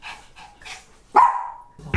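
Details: Fearful, aggressive pet dog at home, which bites anyone entering the house, barking fiercely at a production crew member; soft scuffling, then one loud, sharp bark with a drawn-out tonal tail sliding down, and a fresh burst starting at the end.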